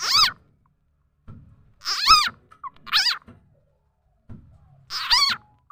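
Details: Call of the khiat cha na frog, also khiat mo, used to lure birds, chickens and other fowl: four loud, wavering squeals, some doubled, spaced about a second apart with quiet gaps between.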